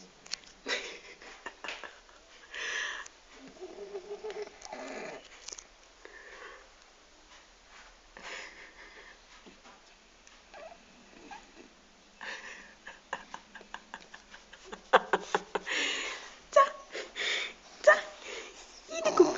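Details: A 12-year-old French Bulldog snores quietly in its sleep with wheezy, snuffling breaths that come in uneven bursts.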